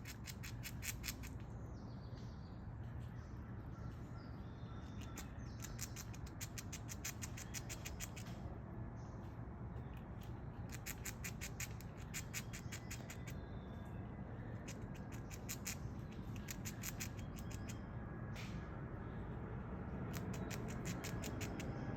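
A squirrel gnawing nuts, with bursts of rapid, dry crunching clicks over a low background rumble.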